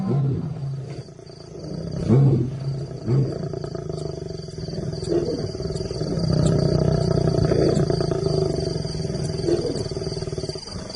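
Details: Lions roaring in another lion's territory, an ultimate insult, as two new arrivals challenge the resident male Simba; deep, rumbling low calls swell and fade with irregular grunting pulses over steady background hiss.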